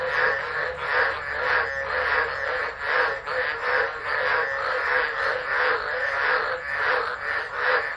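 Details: Tropical frogs singing in a dense chorus during a tropical low at Driver, Northern Territory, Australia, 13 December 2013, phone set down and left; overlapping pulsed croaks swell and fade in rough waves, with a steady high insect-like hiss above.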